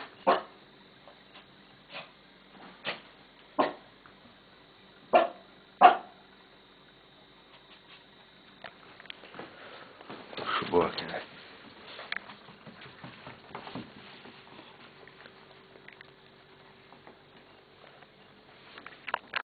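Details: Dog barking indoors: about six sharp, separate barks spaced roughly a second apart over the first six seconds, then scuffling, rustling movement noise with a last faint bark at the end.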